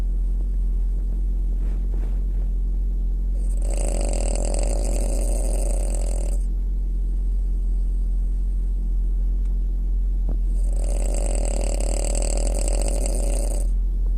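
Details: A female French Bulldog gives two long, raspy snores of about three seconds each, with a quiet pause between them, over a steady low background hum.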